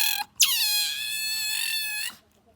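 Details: Bingo, a pet otter, making a newly learned squeaking call described as "gyururururu": one long harmonic squeal starting with a falling sweep, then held steady for about a second and a half, no other sounds.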